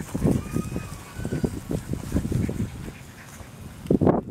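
English Bulldog puppies give a run of low, snuffly grunts in quick, uneven bursts.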